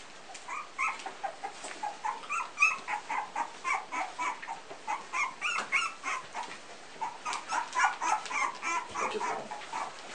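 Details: Pumi litter at three weeks old giving a steady run of short high whines, roughly three or four per second, each one a bent, squeaky note, with several pups overlapping.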